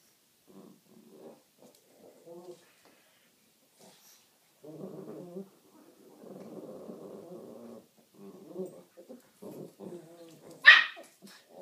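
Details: Two pet Pekingese playing produce soft intermittent grumbles, then a sustained low growl lasting several seconds, followed by choppy growl fragments and one sudden sharp yip near the end.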